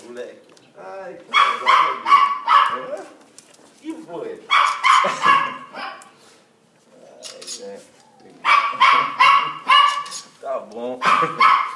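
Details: Pet Cocker Spaniel Thor greeting his owner after a 14-month separation: clusters of loud, pitched yelping whines in quick series of three to five, separated by pauses, with affectionate Portuguese speech from a woman between them.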